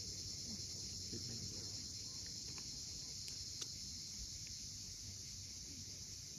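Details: Evening cicadas at Cape Fiolent, Crimea, sound one continuous high, hissing trill above the coast's low wave rumble. Several sharp clicks or ticks stand out in the middle, along with scattered faint chirps.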